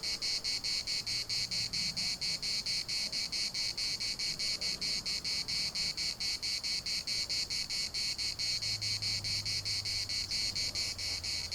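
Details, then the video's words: Cicadas singing in a municipal park in Larnaca: dense, high, metallic buzzing chorus pulsing evenly around twice a second, with a low hum of wind or distant traffic underneath. "CICADAS at the municipal Park Larnaca"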